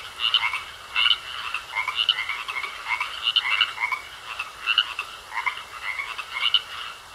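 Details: Several frogs croak in a pond, trading short grating calls roughly every second in an uneven overlapping rhythm. A faint continuous high-pitched tone runs in the background.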